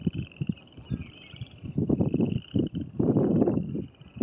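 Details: Western chorus frogs at the Paint Mines near Calhan, Colorado, 27 April 2019, give a steady, high, pulsing trill over loud low rumbles of wind.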